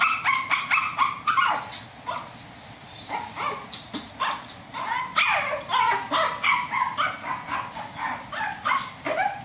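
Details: Shih Tzu dog barking upstairs indoors: a rapid, uneven run of sharp, high yapping barks, several per second, with brief pauses between bursts and a steady faint hiss underneath.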